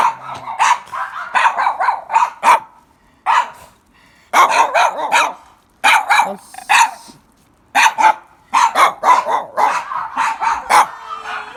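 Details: Many Mame Shiba puppies at a place in Kumamoto with lots of the dogs, giving rapid high yips and short barks in overlapping bursts, with brief pauses between clusters.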